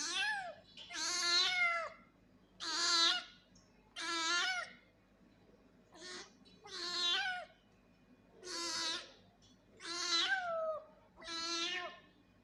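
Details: Angry cat producing loud, insistent meows in a steady run, about nine cries roughly every one and a half seconds, each a strained rising-falling wail with rich harmonics.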